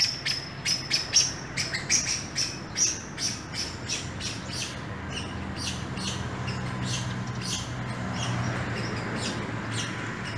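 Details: Squirrels in an urban landscape on an early morning walk give quick, high chirps in a rapid series. The chirps fade after a few seconds, leaving loud traffic rumble.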